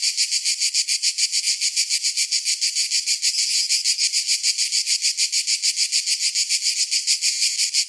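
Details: Summer cicada chorus, a steady high-pitched rasping drone beating in fast regular pulses, roughly three per second, with no other sounds.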